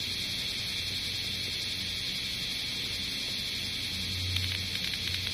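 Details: Bear cicadas in Osaka city, summer 2010, heard as a steady high hissing drone that holds without a break, quieter and more distant. A low rumbling hum runs underneath, with a few faint clicks near the end.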